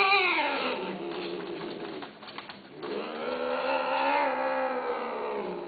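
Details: A domestic cat gives a long, drawn-out, tonal meow. It falls at first, dips briefly, then swells and rises into a second sustained cry. The setting sounds like an indoor room.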